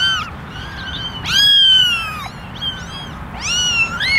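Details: Basket of eleven kittens, ten ginger and one white, calling for attention: a few loud, long, slightly falling meows, one stretched nearly a second, with softer mews between.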